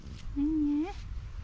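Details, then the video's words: Hungry female cat asking for food: one half-second meow held on a steady tone, then bending upward at the end, over a low rumble of outdoor background noise. "Beautiful cat asks me for food with her cutest meow"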